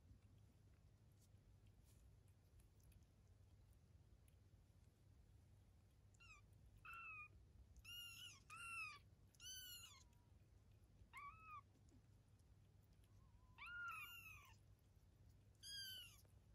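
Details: Eve, a domestic cat, with her kittens at 23 days old, indoors: a string of short, high, arched mews, several run close together in bursts, others spaced a second or two apart, over a steady low room hum.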